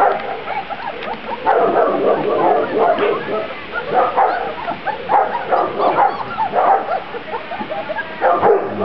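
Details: Grand Basset Griffon Vendéen puppies from one litter, outside for the first time, 23 June 2009; a dense chorus of short overlapping yips and high barks runs continuously, with a few faint human sounds.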